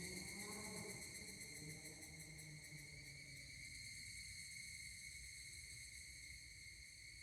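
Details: Higurashi cicadas at Kashima Jingu shrine, Kashima, Ibaraki, Japan, 12 August 2024, keep up an unbroken, rapidly pulsing high chorus; during the first three seconds a lower tonal sound rises and fades underneath.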